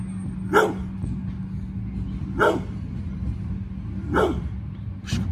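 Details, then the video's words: Pit bull named Bullet guarding its yard against a garbage truck it has long feuded with; three loud sharp barks spaced about two seconds apart over a low steady engine hum, with a fourth bark at the end. "PITBULL VS GARBAGE TRUCK"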